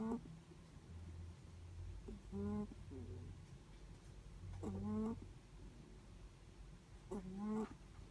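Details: Snoring from a sleeping Netherland Dwarf rabbit: short humming, whistly breaths with an upward flick, three main ones spaced about two and a half seconds apart, plus a faint low rumble in between.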